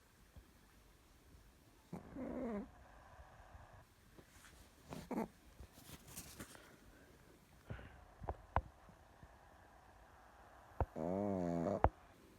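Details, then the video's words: Chihuahua asleep and snoring: two drawn-out, buzzy, wavering snores about nine seconds apart, with soft clicks and rustles in the quiet between them. "ЧИХУАХУА СПИТ И ХРАПИТ"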